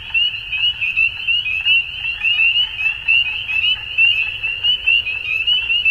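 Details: Dusk frog chorus with many callers blended into a continuous high-pitched trilling band, pulsing in volume about every second, with fainter lower murmuring beneath and no other clear sounds.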